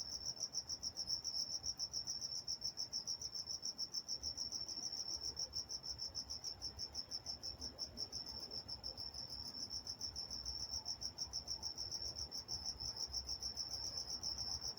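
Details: Night-time crickets chorusing in Walnut, California, giving a continuous shrill trill of rapid, evenly repeated pulses with a soft low background hum.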